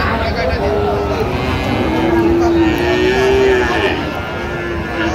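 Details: Friesian and cross-bred bull calves at Raniganj cattle market in Dinajpur, Bangladesh, on 16 October 2025. A drawn-out, low, steady moo runs through the middle of the clip over constant crowd chatter and bargaining voices.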